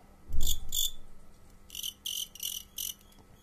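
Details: Crickets kept for fighting: a low thump is followed by two shrill chirps, then a pause and a run of four bright, high chirps in quick succession.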